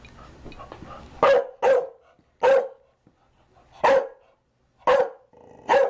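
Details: Chow Chow barking: six loud, sharp barks in uneven spacing, some in quick pairs, after a brief low rumble at the start.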